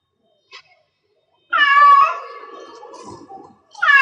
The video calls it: Cat Meow Cat in Heats Sounds 1 Hour